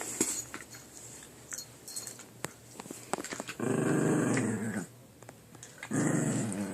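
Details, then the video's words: Puppies squabbling over who gets a chew, giving sustained throaty growls in two loud bursts of about a second each, with small scuffling knocks between them in a small room. "Puppy makes weird noises"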